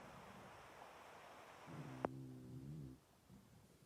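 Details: A French Bulldog sleeps and snores loudly. One low, droning snore with buzzy harmonics lasts just over a second, broken by a sharp click midway, then fades into a quiet hiss.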